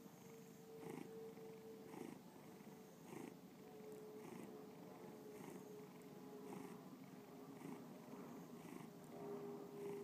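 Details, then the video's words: Bubba the house cat purring, recorded for a 2013 gallery exhibit in Lakewood, Ohio; soft rhythmic rumbling purr, each breath marked by a gentle swell, with a thin steady tone in the background. "Bubba Purring"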